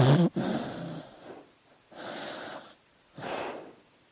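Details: Dog asleep, breathing heavily: a sharp snort, then three hissing, airy breaths spaced about a second apart.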